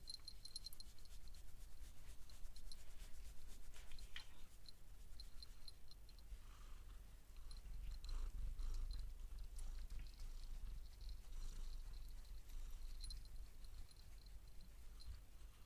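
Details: Domestic cat purring while being massaged indoors, a steady low rumble running unbroken through the whole stretch, with faint rubbing and handling sounds layered on top.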